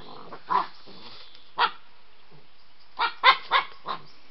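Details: White Swiss Shepherd puppy Iwan, very excited and playing with Samo in the evening: short sharp barks and yips in separate bursts, a cluster of three quick barks near the end, quiet between.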